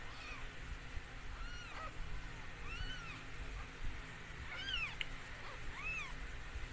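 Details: Mikey, a stray rescued cat, during the birth of four same-coloured kittens: a series of high, arched, harmonic mews, some short and some drawn out, coming in quick succession over a low background rumble.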